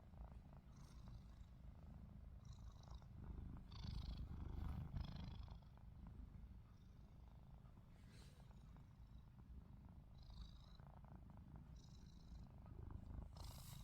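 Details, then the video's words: Pet cat Ruby snores with open eyes; a deep continuous rumble rises and swells slightly in the middle, with brief faint hissy rustles scattered over the top. "루비 눈 뜨고 코골이"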